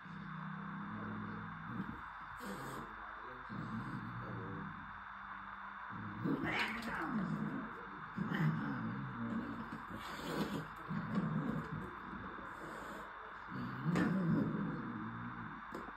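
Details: A Maine Coon cat, made angry by another Maine Coon during play, gives low growling grumbles and drawn-out yowls over a steady background hum.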